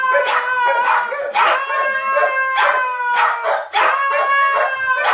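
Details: Howling contest between three dogs including a white husky, their wavering drawn-out howls layered together, pulsing roughly every half second with sliding pitch and yipping accents, no pause across the stretch.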